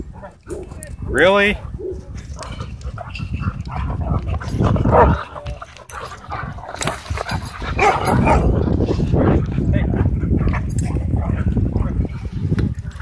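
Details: Dogs in wild play at a dog park: rough low growling and scuffling throughout, with a single high rising yelp near the start and human voices in the background.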